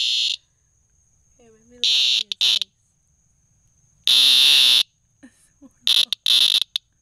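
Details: Cicada found outside a front door, making a loud, freaky noise: four harsh, buzzy bursts, each under a second, loud and high-pitched, separated by silences with a person talking in between.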